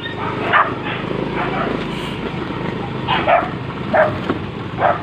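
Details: Street dogs during mating season, barking outdoors: four or so sharp, separate barks at irregular gaps over a steady rumble of traffic and vehicle noise.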